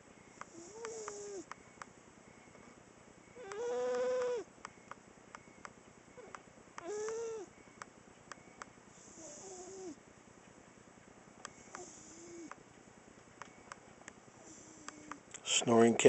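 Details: Sanibel, a pet cat, snoring while sleeping on a couch indoors; soft breathy snores with nasal, harmonic tones, each lasting about a second and recurring every couple of seconds, some louder and buzzier, with faint background hum.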